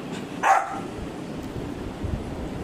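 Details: A Labrador Retriever puppy demanding food gives one short, sharp, high yelp, followed by a steady low background murmur.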